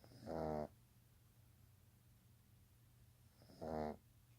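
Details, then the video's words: Young pet pug asleep, snoring: two rasping, harmonic snore bursts about three seconds apart over a steady low hum. "My baby Pug snoring."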